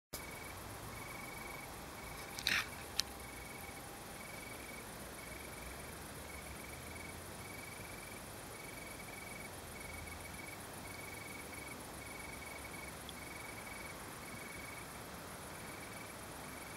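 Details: Singing male Italian tree crickets in Berlin, 3 September 2012, give a gentle, purring trill in regular bursts about a second long, with a steady background hiss and one sharp click near the start.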